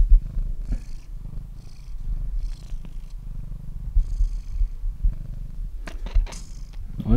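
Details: Elderly, very deaf cat snoring heavily at home: low rumbling pulses roughly every second, each paired with a breathy hiss, and a person speaking softly near the end.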